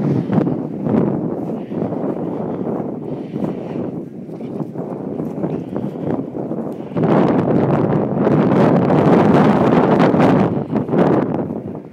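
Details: Strong wind buffets the microphone throughout, with broadband rumbling that grows louder after the midpoint; no animal voice stands out.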